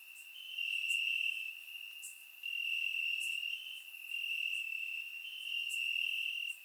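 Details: Crickets chirping at night in grass during warm Bulgarian summer, recorded in surround sound; a constant high ringing trill building and easing in waves about every second, with occasional faint high clicks.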